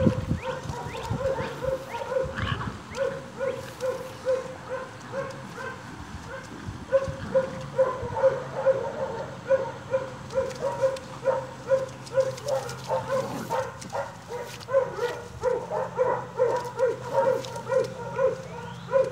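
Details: Playing Staghound puppies almost seven weeks old, getting their chase instinct going; a long stream of rapid high yips and barks, several pups overlapping, with a low rumbling background hum.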